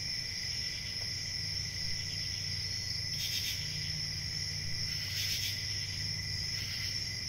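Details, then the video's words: Crickets at night in a steady high continuous trilling chorus, a bright band near the top with a softer lower tone, brief louder swells around three and five seconds, low rumble underneath. "CRICKETS AT NIGHT"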